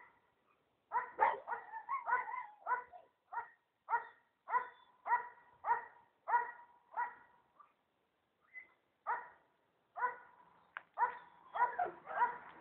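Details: Emy, a German Shepherd, searching for a missing person in snow-covered terrain, barking in a rapid, steady series of about eighteen sharp, resonant barks, with a brief pause midway before resuming faster.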